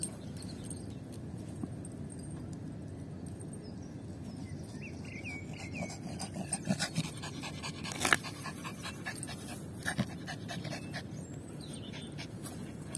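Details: Yorkshire Terrier Lucy breathing hard between ball-fetching runs, rapid rhythmic panting puffs growing slightly louder midway over steady low room noise, with faint high chirps behind.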